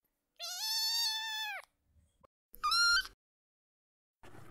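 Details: Kitten calling for its mother with a long, high, slightly falling meow, then a shorter sharp rising meow over faint low noise, and a brief rustle at the end.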